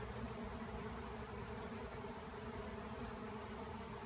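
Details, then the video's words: Swarming honeybees in the air after a tree cutout, a thick continuous hum of countless wings, low and even throughout with a faint wind-like hiss. "Bee Tree Cutout Becomes a Swarm"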